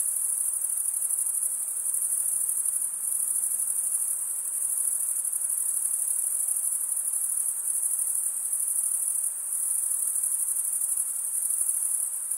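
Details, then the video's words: A high, shimmering trill from stridulating male crickets, made by scraping one wing along the serrated vein of the other, runs evenly and densely for the entire length with only slight swells in loudness. "Most relaxing cricket sound"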